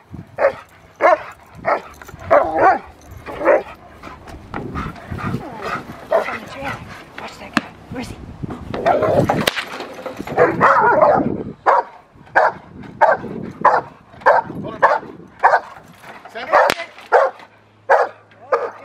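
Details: Rottweiler Magda vd Fehn Kolonie, BH, in protection training, barks sharply and steadily at about one bark every half second. Barking continues with a mix of voices and scuffling noise in the middle section.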